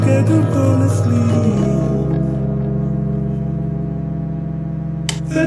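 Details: A sustained droning ambient tone with echoing synth layers plays on, and no animal can be heard.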